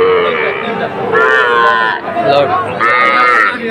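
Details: Small Sahiwal bull calves at a Kushtia cattle market, Ambari haat, Bangladesh, on 24 May 2024; two clear, strained moos of under a second each, separated by a short gap, with people talking nearby.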